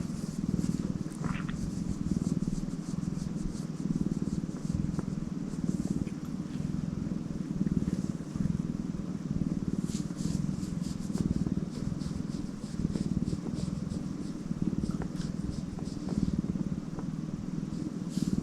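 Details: Tortoiseshell pet cat purring in a test recording: a steady, low, rumbling drone runs unbroken through the whole clip, with faint scattered clicks and rustles above it.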